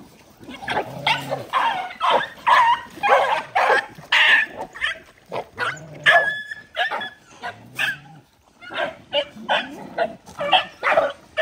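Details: Hungry poor dogs squabbling over food they are given: rapid, ragged snarling barks nearly twice a second, harsh and overlapping, with a short lull near the middle before the fierce yapping resumes.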